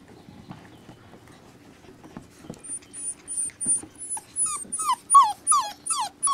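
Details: Rescue puppies whining, starting almost silent and building into loud, high, drawn-out cries that bend downward, repeated roughly every third of a second and growing stronger toward the end, over a faint constant hum.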